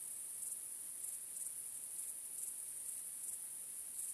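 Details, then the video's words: Crickets chirping on a starry night: a steady, very high shrill trill with brighter pulsed chirps repeating about twice a second, over a quiet background. "Night Crickets Sound"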